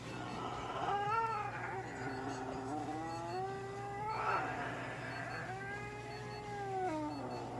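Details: Norwegian Forest cat yowling during veterinary treatment at an animal clinic in Nagoya, Japan, which included light therapy, nail clipping, paw-pad fur trimming and anal gland expression. Three long, wavering, drawn-out cries that rise and fall, over a steady low electrical hum.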